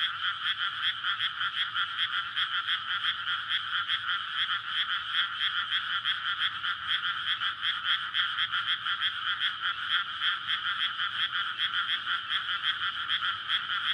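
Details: In a flooded May rice paddy before planting, frogs call at night to court and breed. A long, unbroken chorus of fast, overlapping croaks holds steady in pitch and loudness, with only faint low background hum.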